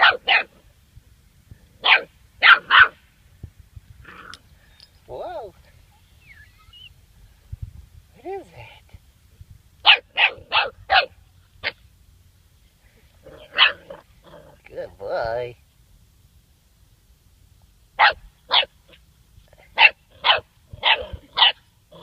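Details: Seven-week-old German Shorthaired Pointer puppy meeting a dead bird for the first time: sharp, high yapping barks in quick bursts of two to four, with a man's encouraging voice heard between the bursts.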